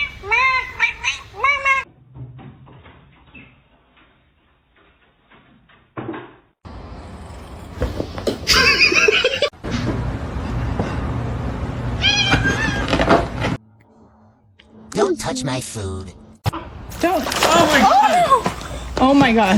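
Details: Kitten or cat meowing in short harmonic bursts, one near the start and a cluster of wavering meows toward the end, mixed with household noise and people talking.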